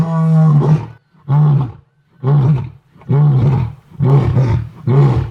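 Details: Birmingham male and Ntsevu pride female lion at Londolozi in a full joint roar after exchanging gentle contact calls; deep booming grunts repeated about once a second, each short and rough, six in a row.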